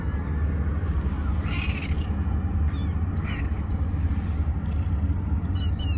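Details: Kittens sheltering under rocks mew in brief, high, strained calls, three separate outbursts spread across the stretch, partly buried in a constant deep rumbling background noise.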